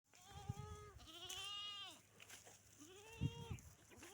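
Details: Desi Barbari goat, a breeder-quality animal of the Dera Ismail Khan breed, gives two drawn-out, wavering, nasal bleats, the first rising and then falling. A shorter bleat follows, with low thumps and handling noise beneath.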